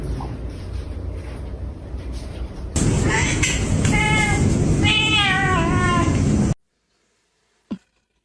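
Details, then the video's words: Plump pet cat meowing indoors: a few short, wavering meows with bright stacked overtones in the middle seconds over a steady hiss and room noise, then near silence broken by one faint knock. "Funny cat/kucing lucu/fat cat/muk2 miow"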